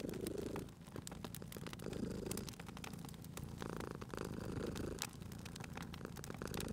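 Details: Low purring rumble from a sleeping cat near a fireplace, less evenly paced here, with dense crackling and sharp snaps from the burning logs.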